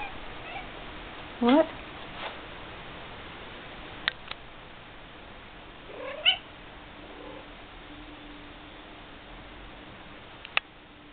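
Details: Vocal pet domestic cat indoors gives a sharp rising meow, then several softer, thinner meows spaced a few seconds apart, with quiet room tone between them.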